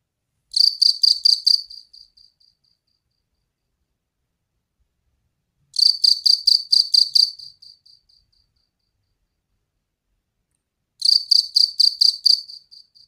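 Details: Loud cricket chirping at night: three bursts of rapid, high, pulsed chirps, each about two seconds long and fading at the end, separated by long silent gaps.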